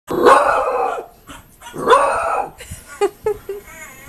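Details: Beagle puppy, scared of a stuffed beagle toy, gives two long drawn-out howling barks about two seconds apart, followed by several short yips.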